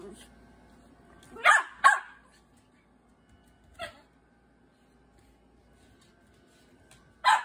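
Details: Great Bernese, seven months old, giving loud barks: two quick barks in close succession, a softer one after a pause, then a final sharp bark several seconds later, over a quiet room background.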